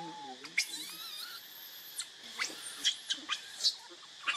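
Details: Baby monkey named Leo crying and begging its mother for milk when hungry: thin, high whistled squeals that sweep up and down, one long drawn-out tone near the middle, then short sharp cries every half second over a faint steady hiss.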